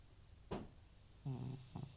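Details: Old cat Butcher, FIV-positive with recurring nasal trouble, asleep and snoring; a short sniff-like click, then a low buzzing snore and a brief second burst, with quiet breathing noise indoors.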